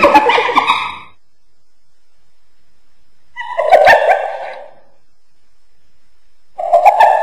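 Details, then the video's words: Hyena uttering three separate bursts of harmonic, chattering, laugh-like calls, each about a second long and spaced by silent gaps of roughly two seconds. "Ternyata Seperti ini Suara HYENA"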